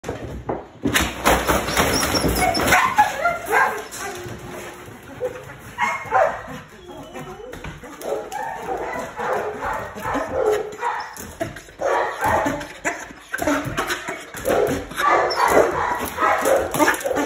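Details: Malinois dog extremely excited to go outside and play, giving rapid, high whines and yelps in quick bursts, mixed with a person talking and repeated thumps throughout.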